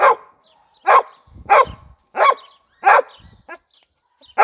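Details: Gröschel von der Lönsmeute, a Heideterrier of the Lower Saxony wild-boar Jagdterrier line bred for boar hunting, gives loud single barks roughly every half second, each bright and clipped, with faint whines between.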